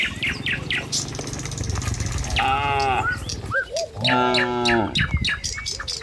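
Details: Morning in a village as tame cattle walk the road back toward the pen: a short higher moo, then a longer deep one, over steady rustling ground noise and repeated bird chirps.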